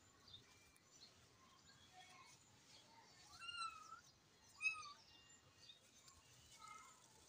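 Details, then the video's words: Kittens fighting indoors: short high, thin mews with bent, curving pitch, two louder ones near the middle and softer cries scattered around them, over a quiet background. "பூனைக்குட்டி சண்டை போட்டுட்டு இருக்கிறதை பாருங்க"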